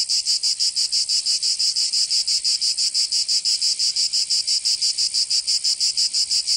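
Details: Cicada song on a summer day in Provence, southern France: a high, harsh buzz pulsing very evenly near three times per second, nonstop, alone.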